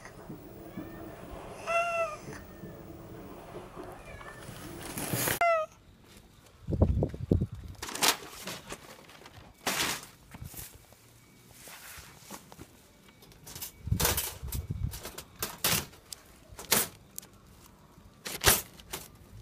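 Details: Friendly unneutered red tabby cat being trapped for neutering: a harmonic meow rising then falling near two seconds, a second short meow around five seconds, then clattering, rustling and handling noises.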